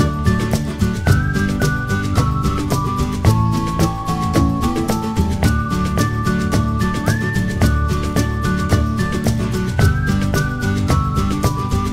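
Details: Upbeat instrumental music with plucked, guitar-like melody notes over steady beating percussion, and no animal sound.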